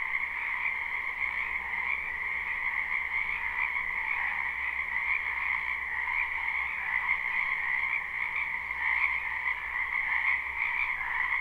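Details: Many frogs croaking in a spring wetland behind a house, recorded live with no looping: a dense, unbroken chorus of overlapping trills forming steady bands at two pitches, mid and higher, with no pauses throughout.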